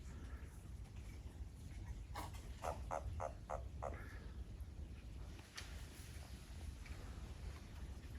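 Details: Japanese toad calling behind a house in Japan as the frogs grow lively: a short run of five even, rough croaking pulses in quick succession, then quiet, over steady low rumbling background noise.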